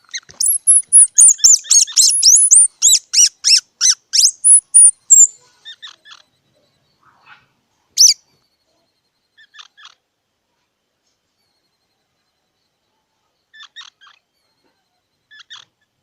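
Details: Squirrel gives a loud, fast series of high, squeaky chirps for about five seconds. Sparse quieter double chirps and a single sharp squeak follow, spaced by long silences.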